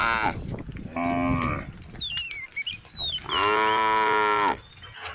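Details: A female cow from a group of tame cows on Jalan Kampung gives two drawn-out, nasal moos, with a bird whistling briefly between them.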